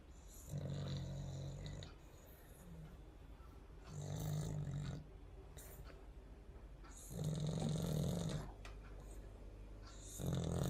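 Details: Pet dog snoring: four loud, low rumbling snores, each about one to two seconds long, arriving roughly every three seconds, with quieter raspy breathing in between.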